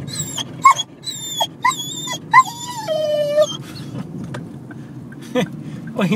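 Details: Excited dog making funny noises: a run of high, tonal whines and wavering moans, one drawn-out quavering note in the middle, mixed with a person talking over it.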